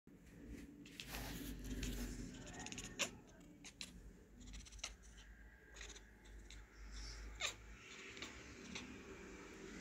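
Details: A pet cat named Frank-Brick chatters and chirps at a fly, giving a run of quick clicky ticks and short soft chirps in bursts, with a faint low hum beneath.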